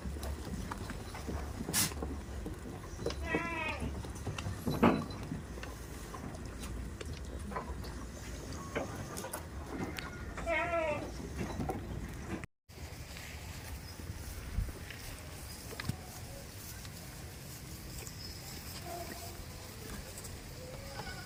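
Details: Village farm goats give a few quavering, nasal bleats in the first half, mixed with human voices and a constant low background hum; the later part holds only faint murmurs and noise.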